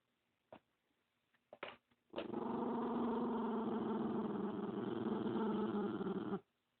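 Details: Dog named Spumoni, protective of another dog beside him and hating the camera, growls with a long steady rumbling growl lasting about four seconds after a few short clicks and taps.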